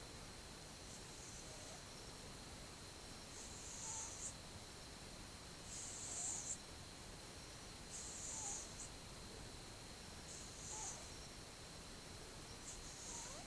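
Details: A twelve-month-old cat asleep, recorded 8 October 2015, gives a steady series of soft breathy snores, each a faint hiss returning roughly every two and a half seconds against a low constant hum.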